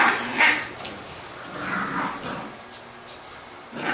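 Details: Labrador retriever puppies from a B litter playing together indoors; short high yaps and squeaky barks come in bursts, with scuffling between them.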